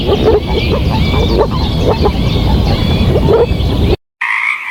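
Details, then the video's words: Dense, loud chorus of frogs calling over one another, with overlapping croaks and clicks and a steady higher chirping layer, ending abruptly in a brief silence before a different call. "Frog Croak Sound Effect"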